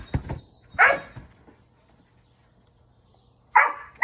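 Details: A dog bouncing on a trampoline in the United States lets out two loud, harsh barks about three seconds apart, separated by near silence, with light thuds at the start.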